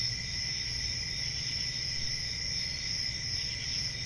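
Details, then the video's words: Crickets chorusing on a summer night in a forest: a dense, unbroken high trill layered in two steady bands, one shrill and one lower, with a soft low rumble of background noise underneath. "Relaxing Cricket Sounds For Sleep"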